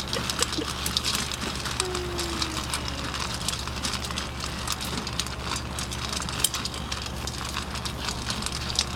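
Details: Trickling and splashing water over dense clicking and rattling, a steady low hum, and faint voices, with no clear animal call.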